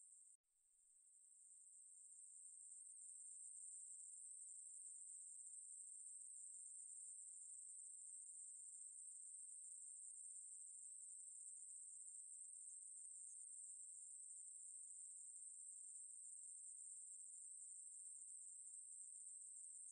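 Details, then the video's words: Ruspolia katydid (maebuori) song starting abruptly after a brief click, swelling over the first seconds into a sustained, very high, even buzzing trill that continues unbroken. "매부리, 여러번 듣기, 곤충소리"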